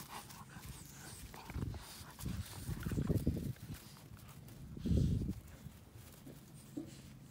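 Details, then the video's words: Two 12-week-old North American Mastiff puppies at play, giving short, rough, low growling bursts at about 1.5, 2.2, 3 and 5 seconds. Scuffling and a steady low hum fill the background. "North American Mastiff puppies playing"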